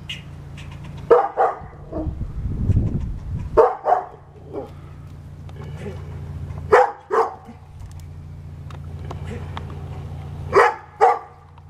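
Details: Pet dog trading barks with an angry squirrel: short barks arriving in pairs, with a few seconds' gap between pairs, over a constant low hum with a brief low murmur between them.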